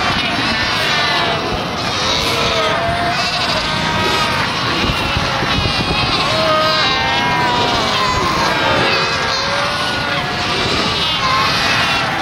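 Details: A dense chorus of Cape fur seals (Arctocephalus pusillus), overlapping bleating and wavering calls from a crowded colony at Cape Cross, Namibia, in December.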